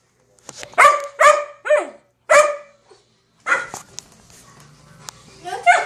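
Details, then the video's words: A female puppy, just back from the groomer, vocalizes expressively: a series of short harmonic yelping barks and whiny howl-like calls with falling tails, brief pauses between them, and a few sounds from a person nearby. "A puppy telling me all about her experience at the groomer."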